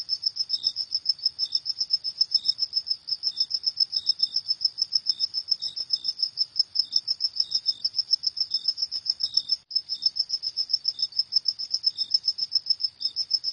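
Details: Crickets at night giving a long, continuous run of quick shrill pulses, briefly broken once midway, with a quieter lower-pitched chirper heard intermittently behind.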